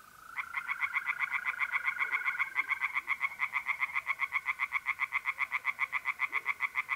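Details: Singing tree frogs in a pond on a mid-April night in north-east Italy, giving a long, rapid series of rasping pulses that continues to the end. A mole cricket's even, unbroken trill runs beneath them.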